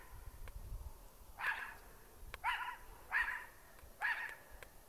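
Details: Pet dog barking at a trash bag it took for an intruder; four sharp, fairly quiet barks spaced under a second apart, with low rumbling background noise.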